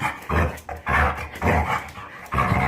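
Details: A Jindo puppy, a medium-sized dog, recovered from illness after a change of food, makes its pig-like grunting, a sound made only when happy. The clip holds about five low, rough, snorting bursts in quick succession, each lasting a fraction of a second.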